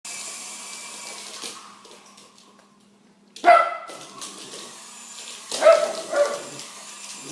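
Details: Chase, a pet dog that loves helicopters, barks at a bigger helicopter: two short bursts of sharp, harmonic barks after a quiet stretch, over a steady mechanical whine and hum.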